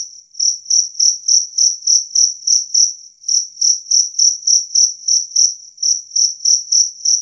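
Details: Clear, loud two-spotted cricket (jangkrik kalung), its chirping presented as a rat repellent; high shrill pulses about three per second, interrupted by two short pauses, background otherwise silent.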